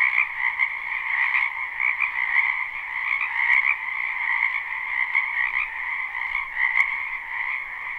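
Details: A crowd of frogs calling at night-like density in a spring wetland beside a house, recorded live; a thick trilling chorus with brighter individual chirps popping out every second or so over the steady drone.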